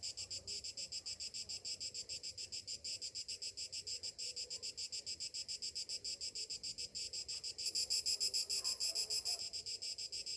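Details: Morning cicada chorus in summer, a high rasping drone throbbing in quick even beats, joined late by a second, louder and sharper buzzing voice for about two seconds.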